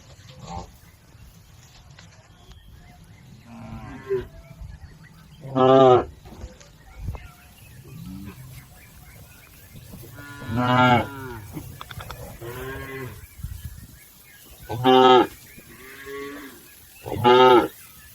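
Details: Herd of cattle crossing a river toward their pen, several short moos scattered through the recording, some faint and distant, others loud, with a steady low background rumble.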